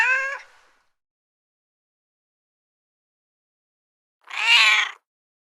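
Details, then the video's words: Cat meows twice, the first fading out at the start, then after a four-second pause a bright, slightly rising meow lasting under a second; nothing else is heard. "Meowing Cat - Cat Sound Effect"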